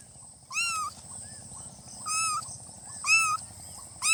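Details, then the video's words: Baby cats, newborn kittens, meowing in short high cries, four calls about a second apart, each slightly arched in pitch, over a low steady hum. "Kitten meowing|kitten meowing sound effect|"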